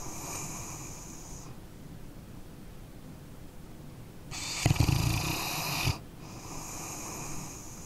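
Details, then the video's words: A sleeping canine breathes out softly, falls quiet for a few seconds, then gives one loud rasping, rattling snore before another airy exhale. "Dog Snoring Sleeping Canine"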